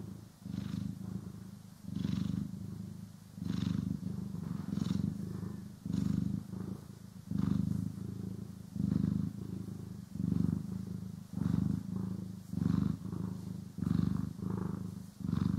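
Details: Domestic cat purring while being groomed and brushed, stereo recording: continuous deep purr rising and falling with breathing, each swell lasting about a second, over fifteen seconds.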